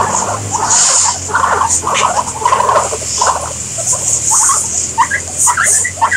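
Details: Guinea pigs giving a string of short chirping squeaks in uneven bursts, some low and some sharp and high-pitched, over a steady low hum.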